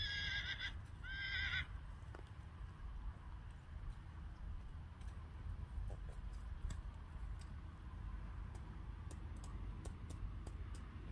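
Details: Friesian horse fillies, wary of water on a breeding farm, give a short high harmonic whinny in two quick bursts at the start, followed by quiet low outdoor rumble and scattered soft clicks.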